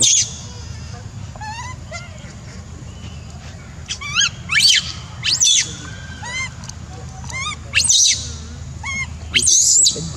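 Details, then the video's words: A monkey crying, with repeated arched, tonal wails that rise and fall, some short and some longer, broken by a few sharp high shrieks near the end over a low steady background hum. "Poor Monkey’s Crying Is Heartbreaking"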